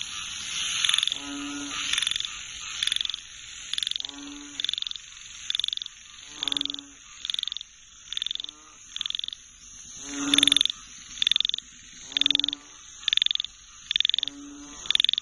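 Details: Several frogs calling together in a dense chorus: quick clattering trills repeated almost every second, overlapping at times, with deep buzzy croaks spaced a few seconds apart and a continuous high-pitched hum behind.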